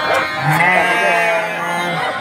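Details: Garut sheep in a pen kept for young breeding stock at Cibuluh, Garut, Indonesia: a sustained, wavering, nasal bleat with strong harmonics carrying for about two seconds, and a man speaking faintly.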